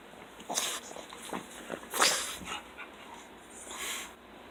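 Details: Two Pugs, including a fawn Pug who is the biggest talker, greet their owner arriving home from work; a Pug snorts and wheezes in short, breathy bursts, with a brief whimpering squeak in between. Their noises include yodeling, squeals, grunts and snorts.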